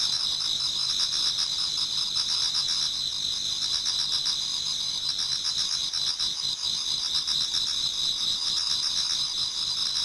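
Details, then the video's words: A Japanese garden full of singing autumn insects just before daybreak. Shrill overlapping trills form a constant wall of high sound, quickly pulsing and slightly uneven, holding steady throughout. "Autumn Insects voice Towards dawn"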